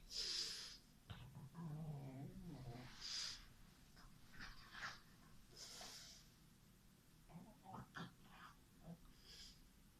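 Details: Pet French Bulldog, white and black, making a low rumbling grunt about a second long, then a scatter of short nasal snorts and wheezy puffs at uneven intervals in a quiet room.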